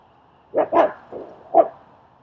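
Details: Training and socialising session in Queens, New York, with German Shepherd Strike helping shy dog Leonidas; a quick burst of three or four rough, mid-pitched barks, the last one clearer and separated by a short pause.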